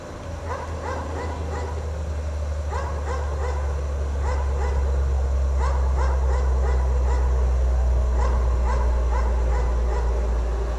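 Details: Chained dog left outdoors in the snow all day barks continuously, with short harsh barks in quick clusters of three to four, over a loud constant low rumble like a running vehicle.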